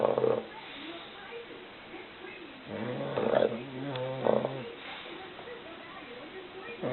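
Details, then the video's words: Sleeping English Bulldog, exhausted after a full meal, snoring indoors: rough, low, buzzy snores in three bursts, near the start, around the middle lasting almost two seconds, and a shorter one just after, with quiet breathing between. "My English Bulldog snoring"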